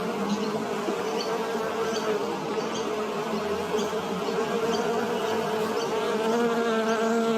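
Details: Close, steady hum of a bee foraging on flowers for nectar, a dense unbroken drone with faint flickering variations and no other clear sounds.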